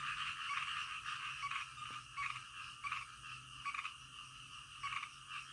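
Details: Frogs calling at night, a chorus with distinct louder croak bursts standing out roughly every second, each a short pulsed rasp over a continuous background of overlapping frog calls and a faint low hum.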